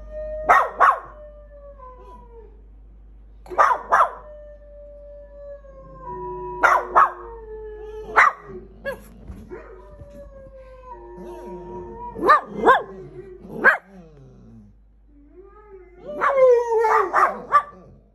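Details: Several pet dogs howling together: long, wavering tones that slide down in pitch, in repeated bursts broken by short sharp barks and yelps, with brief quiet gaps between rounds.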